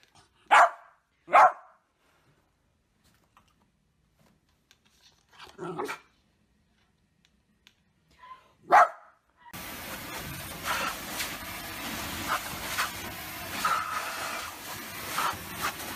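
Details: A dog gives four sharp, separate barks spread across several seconds, with quiet gaps between them, followed by a stretch of broad, noisy background sound.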